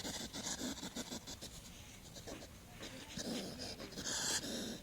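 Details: Hedgehog snuffling and puffing, not sneezing: quick breathy bursts about three or four each second, fading in the middle, then returning as louder hissing huffs near the end.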